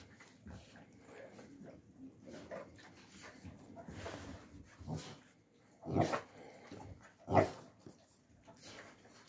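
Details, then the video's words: Young Alabai puppies in winter 2022, giving soft whimpers and low grunts, with two louder broadband bursts near six and seven seconds. "alabai dog 24#alabai#puppies young in winter 2022"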